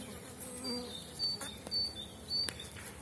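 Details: Steady buzzing hum of strong small-cell 4.9 honey bee colonies at an April apiary, dandelions in flower. Thin whining tones drift above the drone, broken by a few sharp taps.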